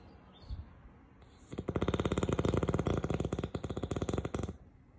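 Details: Rocket, a pet Beagle, sleeping and snoring very loudly: after about a second and a half of near quiet, a loud, rapid fluttering rattle runs for around three seconds, then fades back to a low indoor hush.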